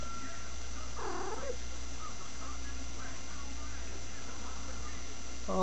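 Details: Female pet cat giving the odd noise she makes while running or rolling on the floor: one short wavering, harmonic-rich cry near the second mark, then quiet, with a woman repeatedly asking what's the matter.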